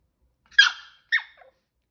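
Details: Five-month-old Chihuahua puppy, one of two males, as Chocolate's stealing plan fails: two short high squeaky yelps, the first longer and bright, the second sliding downward, then a tiny faint squeak, in silence.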